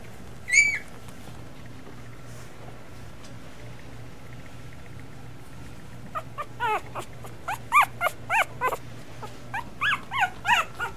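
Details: Two-week-old Miniature Schnauzer puppies: one sharp high squeal near the start, a quiet stretch, then a run of about a dozen short, high-pitched whimpering squeaks in close succession over the last five seconds, above a steady low hum.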